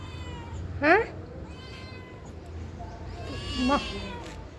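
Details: Responsive pet cat trading sounds with a woman speaking Telugu; two sharp, rising meows about three seconds apart, the second lower and shorter, with her voice between them.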